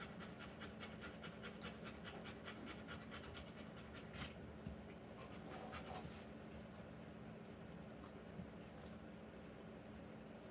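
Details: A Rottweiler giving birth to puppies pants in quick, regular breathy pulses for about four seconds. The panting then fades into a muffled rustle and low hum.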